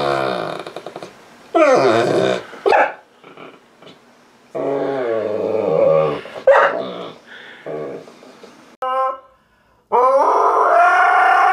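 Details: Grouchy dogs grumbling and talking back, with several bursts of harmonic whining and growly vocalising separated by short pauses, some rising and wavering in pitch, the loudest near the end.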